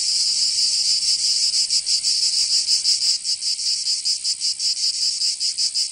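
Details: Summer cicada song from Provence in the south of France. A harsh, high-pitched buzz swells and dips in uneven pulses, about one per second, then quickens toward the end. Nothing else is clearly heard.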